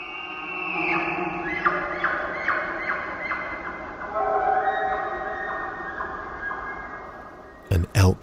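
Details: In the Queets Valley on Washington's Olympic Peninsula, under Sitka spruce with the river audible in the distance, a rutting bull elk bugles from deep beyond the conifers with high, whistled, rising notes over deeper harmonic tones, calling to intimidate rival bulls and attract cows.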